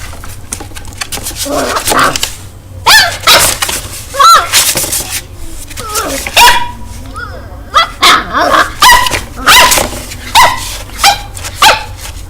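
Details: Two-month-old puppy in São Paulo, Brazil, barking at its own reflection in a mirror for the first time; short sharp barks repeated roughly every half second in the second half, with people talking over the earlier part.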